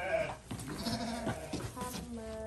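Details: Goat at feeding time giving a brief nasal bleat at the opening and a longer, level, tonal bleat in the last second, with rustling, thumps and soft talk in Indonesian around it.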